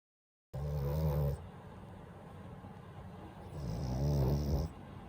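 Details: French Bulldog named Daifuku, a family pet, snoring in sleep: two loud, low, rumbling snores under a second each, with a ragged buzzy texture and a quieter steady breathing hum between them.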